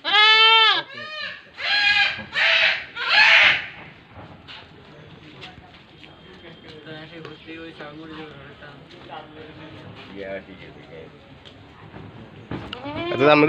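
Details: Large-breed pet goat bleating: several loud, wavering, harmonic bleats in the first four seconds, then quieter mixed sounds, with one more bleat starting at the very end.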